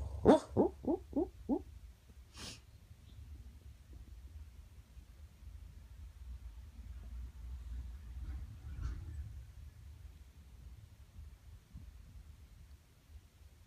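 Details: Dreaming on the couch, a rescued 10-year-old boxer named Tyson gives a quick run of five soft, puffing woofs, then one more muffled huff, before settling into slow, quiet breathing for the rest of the stretch.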